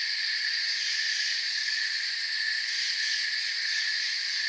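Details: Crickets chirping in a forest, heard as a thick, level wall of high, buzzy trills with quick beating pulses in the upper range, uninterrupted for the whole stretch.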